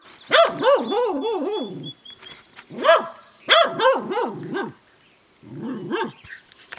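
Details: Female Welsh Corgi barking at the household's new barn kitten: fast volleys of four or five yappy barks in a row, three bursts separated by short pauses.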